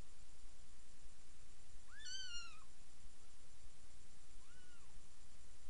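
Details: Kitten about three days old, one of seven nursing from mother cat Miss Kitty in a new bed; one clear arched mew rich in overtones, then a softer second mew after a pause, against faint background hiss.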